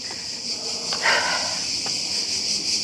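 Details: Cicadas singing in summer near home in Greece, swarming for days after starting two weeks earlier; a steady, unbroken high-pitched buzzing drone throughout, with a few soft clicks and faint rustling.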